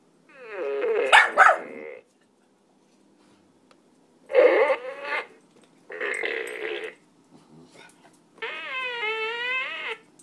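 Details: Ruddiger, a pug, Staffordshire terrier, Maltese and kelpie cross kept as a pet, confronting a farting dog toy: a cluster of loud barks, then two rough growling bouts after a pause, and a wavering drawn-out tone at the end.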